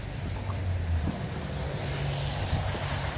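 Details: Steady low wind rumble buffets the microphone, with faint water-like wash and no animal voice.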